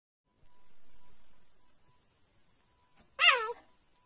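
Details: Cheetah making a hiccup-like sound: after a faint steady hum, a single short, bright, harmonic chirp that rises and then falls.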